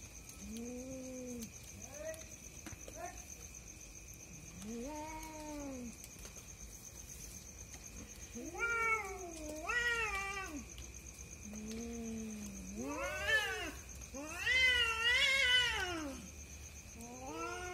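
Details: Two cats fighting at night, called a married pair keeping someone awake; long wavering yowls rise and fall, some low and moaning, others higher and strained, overlapping in bursts toward the end, with a steady electrical hum behind.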